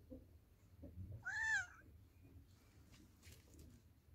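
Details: Domestic cat or kitten from a meowing compilation, giving one clear, tonal meow that rises and falls over about half a second, followed by faint rustling in a quiet room.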